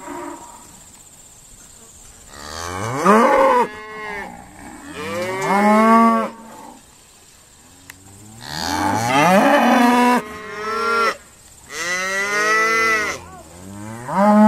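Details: Dexter cattle at Stone Meadow Farm being sorted, calling repeatedly: four loud rising moos, each climbing in pitch then breaking off, separated by quiet pauses.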